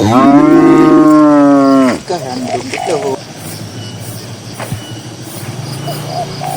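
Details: One of dozens of cows in a green pasture gives a strong, deep moo of nearly two seconds, wavering slightly, then breaking into short grunting notes; afterwards only quiet field ambience with small chirps.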